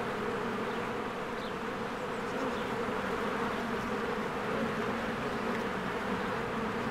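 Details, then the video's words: Many honeybees coming and going at their hive in spring; a constant, deep whirring drone with a slightly wavering texture, plus a few faint high-pitched chirps in the first seconds. "1 Hour of a Beehive ASMR"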